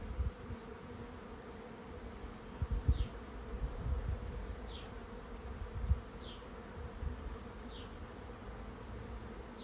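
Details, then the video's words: Swarm of honey bees moving into a swarm trap: a steady, low droning hum with small surges in loudness, while faint, high, down-slurred chirps recur in the background about every one and a half seconds. "Bee swarm moving into trap"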